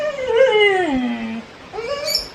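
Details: Labrador Retriever kept as a pet, howling in protest while being scolded by its owner for opening a tap and wasting water; one long howl sliding downward, then a short rising whine.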